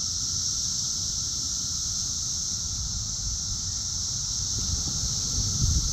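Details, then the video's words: Dense cicada chorus in Chicago's south suburbs, Illinois, June 3, 2024, very loud and active: a continuous high-pitched hiss-like whine, steady throughout, with low wind or traffic rumble underneath. "Cicada Mania! Very Loud and Active!"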